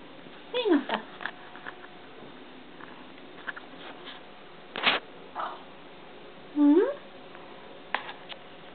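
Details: Pet cat indoors in a small room giving two short meows, the first falling and the second rising, with quiet Swedish speech from its owner and a few soft knocks between them.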